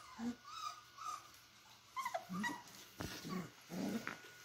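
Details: Beagle puppies at play: short high whimpers and yips in scattered bursts, with lower growly grunts between them and a faint steady hum underneath.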